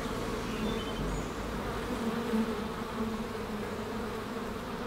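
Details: A rescued honey bee swarm at a rooftop sanctuary in June gives a steady, low buzzing drone of many bees on the wing.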